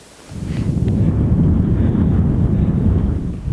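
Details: Low, rumbling wind buffeting the microphone, with no animal voice heard.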